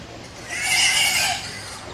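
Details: A wild boar at Whipsnade Zoo in May, in sunny weather, among sows with young, gives a shrill, rasping squeal that swells and fades over about a second.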